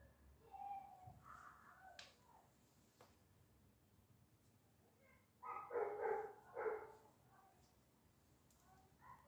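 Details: Vizsla; whine and bark; wanting to go out and play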